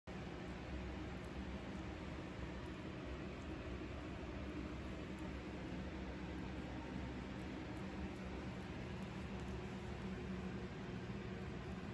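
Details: Quiet, even low hum like a fan or distant traffic, with no animal sounds.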